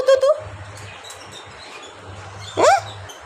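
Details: Pet dog crying from fear of being left alone; a short, high whining cry at the start and another rising, wavering whine near the end, separated by a quiet stretch with low hum.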